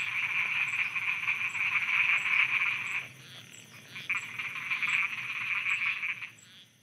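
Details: Frogs croaking after dark in Thailand, a loud, rapid, rattling chorus for three seconds, then quieter, broken bursts of croaks that return more softly, and a faint, evenly spaced high ticking.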